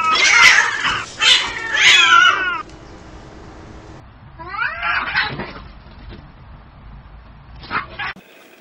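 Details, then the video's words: Stray cats fighting outdoors: a rapid burst of three harsh, screeching yowls at the start, then a steady background hiss with a quieter, wavering yowl and a final sharp spit. "Real Cat Fight Angry Cats Vs Cats Аngry Compilation Video Ever| cats and Cats Fight|Watch With Sound"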